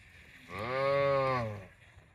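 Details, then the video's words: ['A cow gives a single drawn-out, deep, even moo lasting just over a second, with a rich, buzzy tone, in otherwise quiet surroundings.'] "Funny cow sound video"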